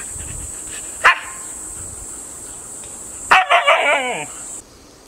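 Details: Golden Retriever named Happy, kept with a grandmother and a husky named Funny; one sharp bark, then a cluster of barks sliding into a falling, wavering whine, over a steady high insect-like hiss.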